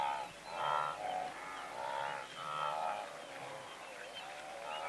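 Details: Blue wildebeest herd of several hundred: softer, more distant-sounding overlapping nasal calls rising and falling over a hissing background, several animals calling together without clear breaks.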